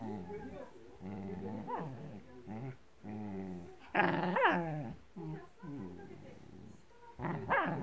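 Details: Blue merle Shetland Sheepdog growling at a blanket it is attacking: continuous low harmonic rumbling growls broken by louder rising snarls, with a human voice possibly mixed in.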